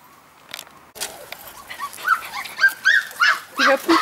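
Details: Golden Retriever puppies growing up together in a pack give a quick series of high, rising yelps, roughly three each second, growing louder toward the end after a short burst of noise.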